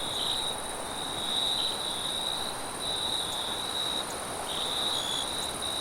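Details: A cricket trills steadily at night in a high, continuous band, with soft wind noise underneath.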